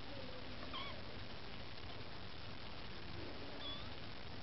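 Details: Maine Coon kittens with their mother Lakshmi, trying to win food: two thin, high mews, one near the start and one near the end, rising and falling briefly over a steady low hum.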